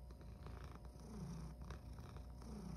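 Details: Male rescue cat purring indoors at breakfast time: a faint, steady low rumble runs throughout, with soft clicks and light rustling on top.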